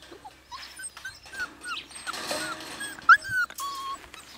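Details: Siberian Husky puppies about four weeks old, from Nymeria and Deeks, giving scattered high thin whimpers and squeaks, several overlapping voices, with a brief louder rising yelp near the end.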